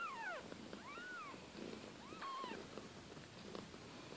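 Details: Litter of Siberian kittens, the young of Kate and Bessie, growing and round-bellied, giving several high, thin mews that arch up and fall, some overlapping in quick succession early on, then fewer, over soft background rustling.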